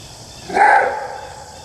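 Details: Maned wolf (Chrysocyon brachyurus), a South American canid, gives a single loud, hoarse bark that fades quickly.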